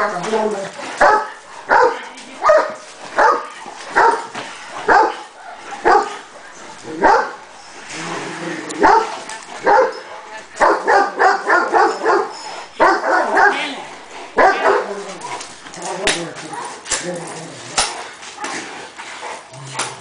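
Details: Cane Corso training session with repeated barking, at first regular and then in faster, denser bursts mixed with human speech and handling noise.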